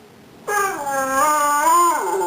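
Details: Boy, a pet dog, answers a prompt to say "I love you" with a single drawn-out, tonal, howl-like vocalisation that holds steady, rises slightly near the end and then drops, indoors.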